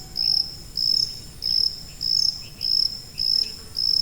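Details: Cricket giving piercing high chirps at an even pace, one burst about every 0.6 seconds, each a tight buzzing pulse train separated by short pauses, with a faint hiss underneath.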